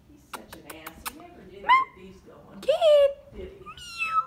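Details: A female Siamese cat, too lazy to meow much, gives a few short, drawn-out meows among human voices and light tapping clicks.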